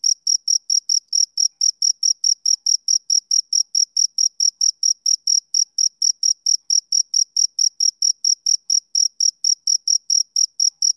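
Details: Male cricket chirping on a summer evening: a steady, high, pure trill of short pulses, about three to four each second, each with a faint higher overtone, continuing evenly throughout with no other sounds.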